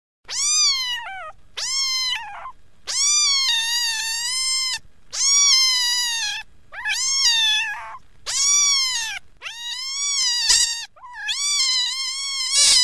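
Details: Small kitten in Pakistan crying for its mother: eight long, loud harmonic meows, each rising then falling slightly, some wavering, given at intervals of about one to two seconds with near silence between.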